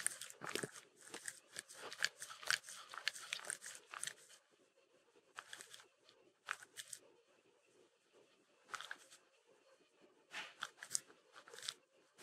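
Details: Mindy, a Shetland Sheepdog, licks peanut butter. Bursts of wet, smacking licks come in quick clusters, separated by quiet pauses of a second or more.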